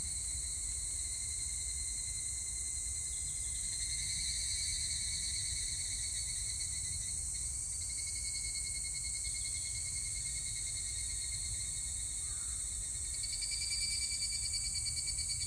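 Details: Higurashi cicada calling on 25 July 2019, with stretches of rapid pulsed, ringing trills that swell and fade against a constant high insect drone.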